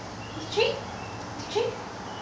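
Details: Female golden retriever refusing to go on a walk while being coaxed with a treat gives two short, high, slightly rising whines about a second apart over a faint steady background hum.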